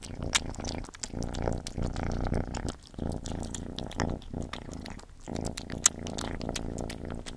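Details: Gordy the pet cat eating, with wet crunching chews and clicks scattered over a low, steady purr-like hum that dips briefly near the third and fifth seconds.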